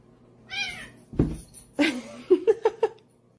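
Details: Domestic cat in a funny pet compilation: one short harmonic meow, a dull thump, then a string of four quick, clipped chirping mews spaced about a fifth of a second apart near the end, in a quiet indoor room.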